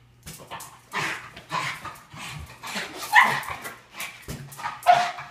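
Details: Boston Terrier indoors, excited by a balloon, recorded on an iPhone 5S; short yips and thin, tonal whining notes coming about every two seconds, with some indoor knocks and faint voices.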